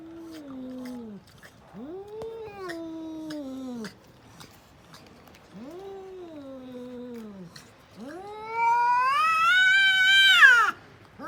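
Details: Cats fighting: long, drawn-out wavering yowls, each arching up then sliding down, three in a row separated by short pauses, ending in a louder, higher, strained rising wail.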